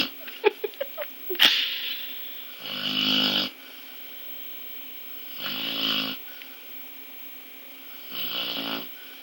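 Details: Boo Bear, a female dog, snoring very loudly while asleep indoors: three long, rasping, broadband snores roughly every two to three seconds, preceded by a few sharp clicks and a brief burst of noise.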